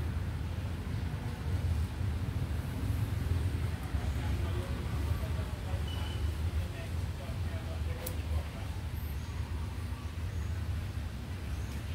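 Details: Steady low rumble like passing traffic or wind, with faint indistinct voices and no animal sound.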